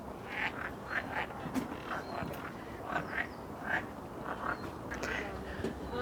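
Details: Unseen frogs at a wishing pond in Moscow's Botanical Garden give rapid, irregular croaks, about eighty a minute, against a low background hum with faint distant voices.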